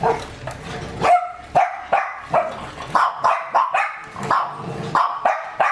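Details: German Shepherd of working line, fed a raw food diet, giving loud, sharp barks in a rapid series, roughly two per second, with short gaps between them and no other clear sounds.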